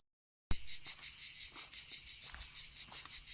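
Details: Crickets singing beside the Camino path between Cahors and Lascabanes: a high, shrill pulsing trill throbbing several times a second. It starts after a brief silence, with faint soft knocks underneath.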